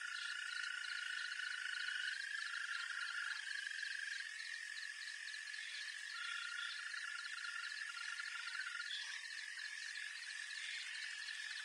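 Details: Green toads calling in the wild: long, steady, high trills held for several seconds, overlapping with other callers, over a dense chorus of rapidly pulsing higher insect-like trills.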